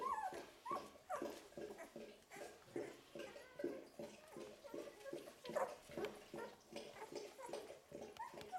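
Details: Eleven-day-old Golden Retriever puppies in a litter whimper and squeak in quick, overlapping, rising and falling cries.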